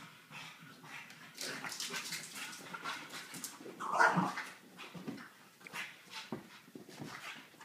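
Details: Male French Bulldog, ten months old, at play with his favorite giant yellow ball indoors; soft, continuous snuffling and faint whimpering, with a sharper tonal yelp near the four-second mark standing above the rest.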